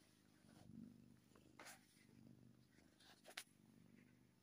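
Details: Happy kitten purring: a low, soft rumble in cycles of about one and a half seconds, with a few sharp clicks and rustles over it.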